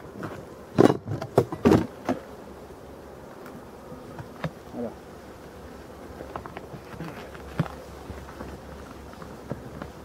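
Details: European dark bees at a Voirnot hive readied for winter in a forest of abandoned hives, 30 October 2021; sharp knocks of handling open the passage, then faint low buzzing of passing bees continues under scattered clicks.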